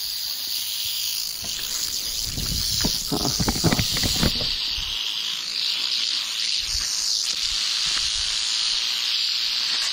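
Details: Canebrake rattlesnake (timber rattlesnake) found on a dirt road in North America on a humid, slightly windy 81-degree day before a tropical storm; steady high buzzing rattle, with low thumps of handling and footsteps through the middle.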